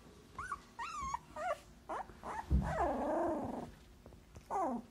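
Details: Siberian Husky puppy opening its eyes for the first time, letting out a run of high whimpers and squeaky yips, each bending up then down, with one longer wavering whine in the middle and a faint low grumble beneath.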